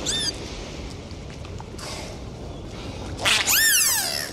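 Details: Dolphins recorded underwater on a sea dive: a short whistle opens, then a quiet watery pause, then a loud burst of descending, swooping whistles closes the stretch.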